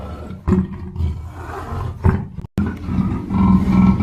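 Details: Black panther giving a deep, rough growling rumble in short bursts, broken by a sudden brief silence midway, with faint thin higher tones above.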